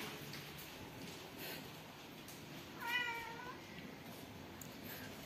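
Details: Domestic cat in a city giving a single soft meow that rises then falls in pitch, faint over a steady background hiss with low indoor rumble.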